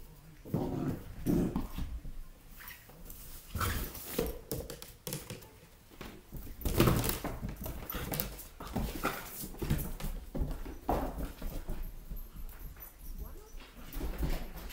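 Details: A Weimaraner x German Shorthaired Pointer cross puppy playing with a balloon gives short, low whines and grunts among thumps and rustling.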